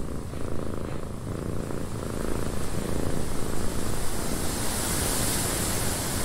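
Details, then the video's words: Cat purring indoors while wind blows around the cabin. A low continuous purr sits beneath strong, rising wind noise that surges in the second half. "Cat Purring in a Windy Cabin 8 Hours of Blissful Purring"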